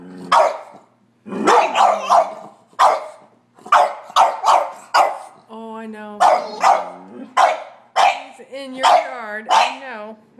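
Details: Three dogs, a Sheltie, a Collie and a French Bulldog, barking at a squirrel on a rainy March day; a series of sharp barks in quick bursts, with a drawn-out whining howl midway and a person speaking.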